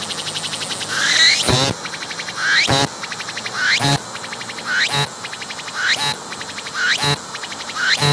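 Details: Cicada singing at close range on a tree, tolerating a close approach, its abdomen pumping as it calls; each phrase is a rising whine into a loud buzzy burst, then a fading pulsed rattle, repeating about once a second.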